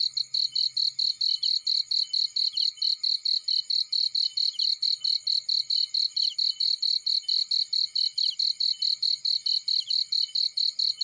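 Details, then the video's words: Crickets sounding in a field, a long unbroken train of shrill, evenly spaced chirps at about four per second, with a soft low rumble early on. "Burning with Cricket Sounds"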